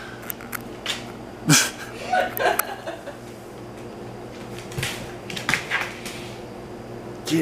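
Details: People talk and chuckle indoors in a small room, with short bursts of laughter and a faint steady hum, and no animal sound stands out.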